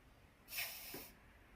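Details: Sneeze from an old papillon dog, a single sharp airy blast about half a second long that ends in a low snorting catch, followed by near silence.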